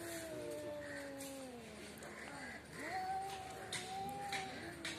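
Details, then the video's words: Cats quarrelling outside a house give low, drawn-out growling yowls that hold steady, then dip and rise again, with faint background noise and brief clattering. "cat fitting l বাড়ির সামনে বিড়াল এর jhokra dekhao sobai"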